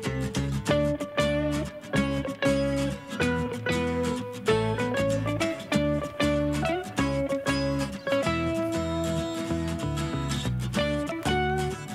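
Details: Plucked acoustic guitar music strums steadily throughout, with no animal sounds.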